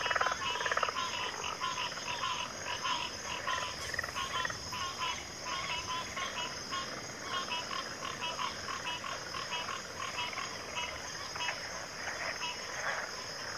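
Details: Dense backwater frog chorus, many overlapping nasal, rattling croaks pulsing rapidly and continuously, with a steady shrill insect drone running throughout.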